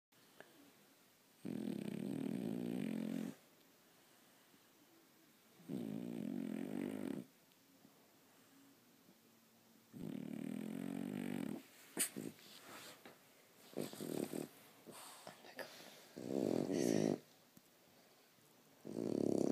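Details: Sleeping French Bulldog snoring indoors: long rumbling, vibrating breaths of one to two seconds, repeated every few seconds, later becoming shorter and more irregular with some snorts and rustles.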